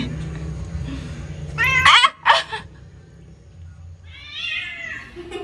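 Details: Angry cry of Owie, an odd-eyed pet cat: two loud, harsh, strained yowls in quick succession, then a fainter drawn-out wail, over a low background hum.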